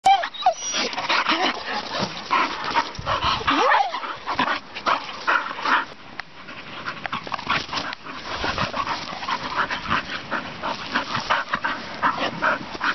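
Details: Two young English Bull Terriers play fighting on a field by a farm: rough, noisy snarling bursts in quick irregular succession, with a quieter lull around the middle before the scuffling growls pick up again.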